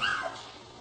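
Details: Puppy giving a single brief, high yip with bright overtones that slides downward and fades within a quarter second, followed by quiet room tone as a person speaks to it affectionately.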